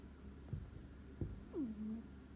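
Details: Cat snoring in a deep sleep: a short low snort and soft rumbles, then a falling, drawn-out nasal snore tone near the end, in a quiet indoor setting.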